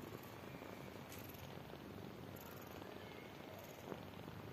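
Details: Indoors, a mother cat lies with her newborn kittens as they try to nurse; a continuous soft, low, rumbling purr fills the recording, with light rustling overhead.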